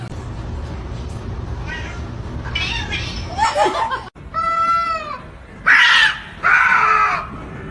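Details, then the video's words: Pet cat indoors giving a drawn-out, slightly falling harmonic meow, followed by two loud rough, noisy cries, while people talk and laugh nearby. "cats meowing"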